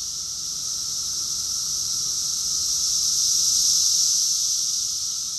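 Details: Summer cicada chorus recorded in June 2021 in Rockville, Maryland, USA: an unbroken, piercing high-pitched drone that gradually swells toward the middle, over a faint, steady, lower hum.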